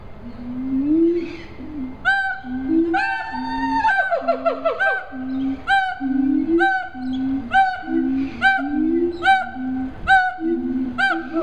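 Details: Siamangs (Hylobates syndactylus), the largest gibbons, calling at a zoo in Columbia, South Carolina: deep booming hoots repeated about twice a second, overlaid by loud rising and falling barks and accelerating shrieks, with a steady electrical hum.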